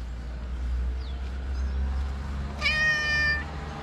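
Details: One drawn-out, level meow from a tabby cat that lives on the street, rich in harmonics, rising out of a constant low engine-like hum.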